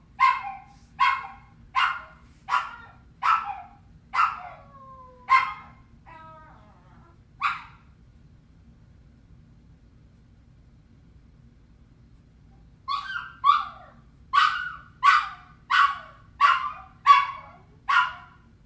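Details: Puppies left alone crying in loneliness, a series of sharp evenly spaced yelps, then a few softer falling whimpers and a long silence before another rapid run of yelping cries.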